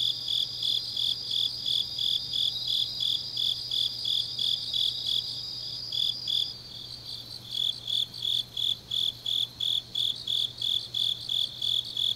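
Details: Grass insects in Changnyeong, South Gyeongsang Province, Korea, on an autumn night: a continuous high trill stops midway, leaving clear shrill chirps repeating about three times a second, over a faint steady low hum.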